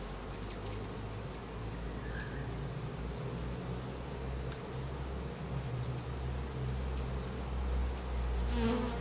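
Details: Russian/Carniolan hybrid honey bees, roughly 10,000 workers and one queen delivered as a 3-pound package, installed in a new hive in April 2012; a heavy low hum with a buzzing drone above it, and a brief rustle near the end.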